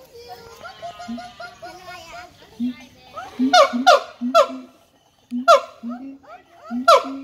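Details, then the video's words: Quieter mixed sounds at first, then a siamang breaks in with loud, clipped harmonic calls, short downward-sliding notes in clusters separated by brief silences. "suara monyet siamang / gibbon monkey sound"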